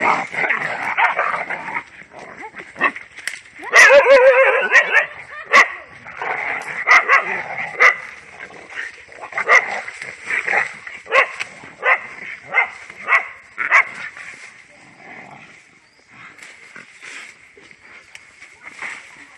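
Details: Dogs fighting among themselves: a burst of harsh snarling and growling near the start, then a run of sharp barks and yelps at irregular intervals, with a steady high background hum throughout.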